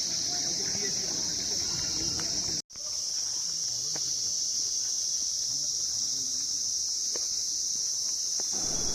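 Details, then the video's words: Crickets calling at Darjeeling Mall in the morning: a steady, unbroken high-pitched shrill drone running through the whole recording, cut by one brief silent dropout, with faint low voices and street sounds underneath. "এই ঝিঝি পোকার ডাকই হয়ে গেছে আমার এই ভিডিওটির ব্যাকগ্রাউন্ড মিউজিক।"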